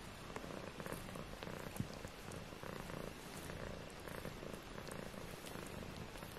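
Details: Four British Shorthair kittens, 18 days old, purring softly indoors: a low, steady rumble with faint crackly background texture throughout.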